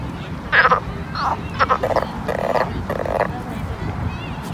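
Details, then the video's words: Pond frogs in summer producing a run of rasping, pulsed croaks in quick succession, several overlapping bursts within about three seconds, over low background noise. "Summer Ambience Pond Frog Sound"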